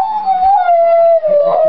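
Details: A dog 'talking' with a person, giving one sustained, slightly wavering howl-like tone that holds nearly level for almost two seconds, dipping briefly near the end.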